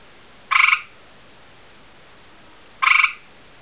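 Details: A male gray tree frog calls toward a female: two brief, harsh pulsed trills roughly two seconds apart, each a quick series of about ten beats, over quiet background hiss.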